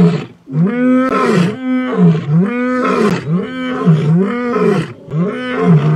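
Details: Wild young male lion in Kenya's Masai Mara, in a coalition moving to seize a territory, gives a rhythmic run of about six deep, grunting roars, each rising and falling, repeated roughly every second.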